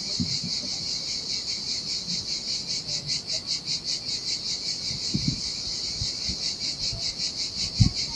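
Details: Heat-loving cicadas singing near the sea in Sardinia on an empty beach, a shrill pulsing buzz over louder splashing waves and occasional low thuds.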